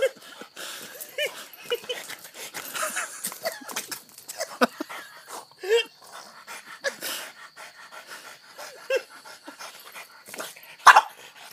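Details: Hana, a dog said to have gone crazy, pants rapidly and irregularly with occasional soft whines, ending in one brief louder yelp.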